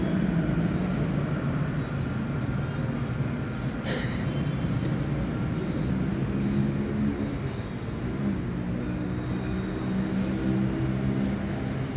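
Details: A steady low engine drone, like passing traffic or an aircraft, fills the scene with a faint hum above it and no animal calls.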